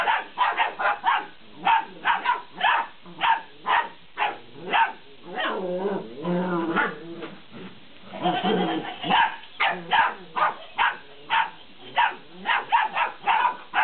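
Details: 50-day-old Belgian Malinois puppies playing with a laughing cat toy: rapid, short, high yapping barks repeated many times, with a wavering, warbling laughter-like sound in the middle.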